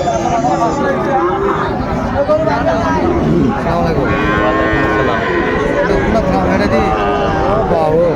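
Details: At the Raniganj market in Chattogram, a Thursday in late September 2024, Sahiwal bull calves being sold low overlapping moos, some bending upward, one after another, beneath a busy murmur of people talking.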